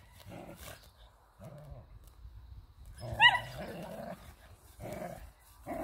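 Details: A whippet at play on its hay bale voices brief rough growling yaps, about one every second or so, with one louder, higher bark in the middle.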